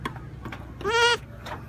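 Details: Young goat kid, carried along while grass is cut for fodder, calling like a kid that has just found food: one short, quavering, nasal bleat lasting about a third of a second, with faint rustling and low background noise around it.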